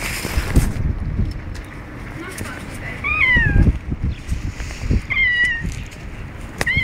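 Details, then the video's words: Squeaky, door-like meows from a cat taking a walk, three drawn-out calls that rise then fall, the last short and high, with a person talking and footstep-like thumps underneath. "you squeaky door"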